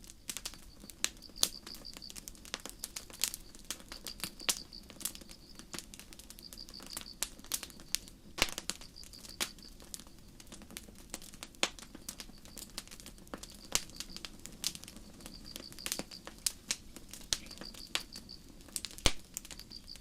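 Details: Crickets in a starlit night forest keep up regular high trilled bursts, each a quick string of pulses, while a campfire crackles and snaps constantly in the foreground.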